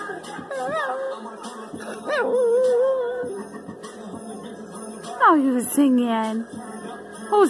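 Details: Old female Chihuahua–Jack Russell Terrier mix howling to Turn Down For What, her favourite song: short wavering wails and a long falling whine amid pulsing electronic music and a woman's fond chatter.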